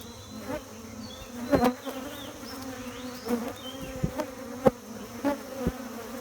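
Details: Honey bees at a beekeeping site, steady low humming buzz with a strong droning tone and its overtone, broken by several sharp knocks and clicks and a few faint high chirps in the background.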